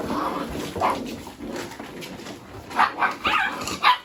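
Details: Mini Goldendoodle puppies playing together with boxes indoors, chasing and rolling around; muffled scuffling early, then a run of four short, high, yappy barks close together near the end.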